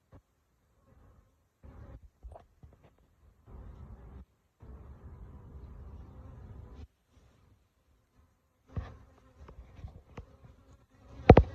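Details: Honey bees from a huge hive built inside a jacuzzi, having entered through a hole in the bottom corner, disturbed during a live removal: steady harmonic buzzing in bursts of a second or two, ending with sharp knocks and clicks.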